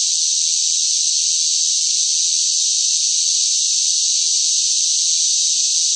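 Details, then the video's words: Shrill cicada song in hot summer weather, a constant, uniform high-pitched buzz with no breaks and no other sounds. "뜨거운 무더위 속 시끄러운 매미 울음 소리"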